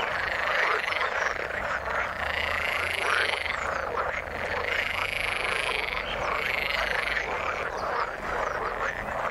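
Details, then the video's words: Chorus of frogs in the water: many overlapping croaking calls merge into a steady, buzzing din, with occasional brief higher squeaks above the mass. "Frog sound in the water"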